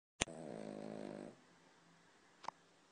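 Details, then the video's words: Sleeping dog snoring: one drawn-out harsh, rattling breath lasting about a second after a sharp click, then quiet background hiss and another faint click. "Horlayan Köpek - Snoring Dog"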